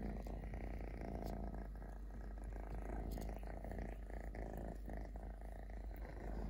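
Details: Low rhythmic purring from a three-legged stray kitten named Totoshka, rumbling evenly and close to the microphone, with brief clicks and soft rustles mixed in.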